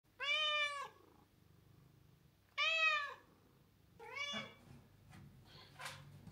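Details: Mella, a pet cat, meows indoors to ask for crunchy treats whenever a particular kitchen cabinet is opened: two clear drawn-out meows about two seconds apart, then a shorter third one, with faint household rustling.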